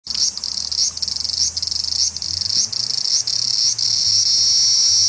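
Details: A large brown cicada (Graptopsaltria nigrofuscata) on a park tree branch just after 6 pm sings a harsh, sizzling drone that pulses briefly, then runs on steadily, walking slowly along while calling.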